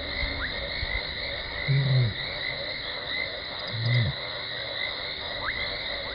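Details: Lioness Talamati contact calling near Gowrie dam waterhole, Djuma Game Reserve, Sabi Sand Wildtuin, South Africa, at 00:21 on 17 December 2020, caught by a live waterhole camera before she runs in: two short, low moaning calls two seconds apart over steady insect chirring.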